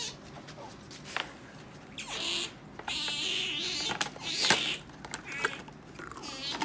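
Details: Pet otter playing with ornaments indoors, giving high squeaky chirps with wavering pitch in short bursts, several spaced across a few seconds, with light knocks and rustles from the toys.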